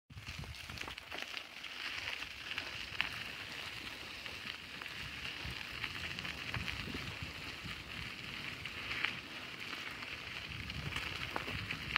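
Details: Steady broadband hiss like rain or wind, with scattered crackles and no clear animal calls.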